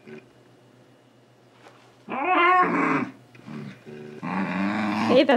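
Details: Male Shiba Inu, almost two years old, complaining while trying to catch socks indoors: loud harsh wavering screams and yowls in two long bursts with a short grumble between.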